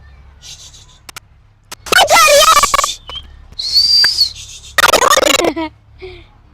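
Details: A three-year-old chimpanzee pair brought from South Africa, kept in captivity, fight, giving loud, harsh, wavering screams in bursts.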